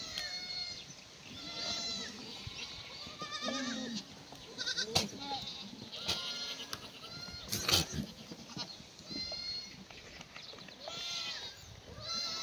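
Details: Free-range black goats at a Gimhae farm in South Gyeongnam on a sunny Tuesday morning in May 2019, given wet strawberry branches at feeding; bleats from several goats recur throughout, broken by two sharp clacks.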